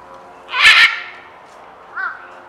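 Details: Meerkat alarmed by the noise of a helicopter flying overhead: one loud, harsh, broadband bark, then after a pause a short, softer arched chirp.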